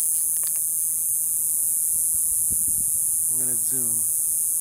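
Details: Cicadas in small trees, recorded again a year later, keep up a steady, high, hissing drone while a man speaks briefly; one stopped calling when he got too close.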